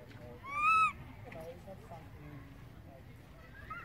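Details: One loud, arched, whimpering cry from a baby monkey calling for its distant mother, followed by quiet background noise with faint rustling.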